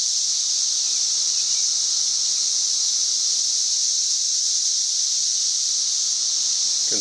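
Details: A loud chorus of tree cicadas, May 31, 2024, near 90 decibels, keeps up a sustained high-pitched droning buzz; a brief human voice cuts in at the very end.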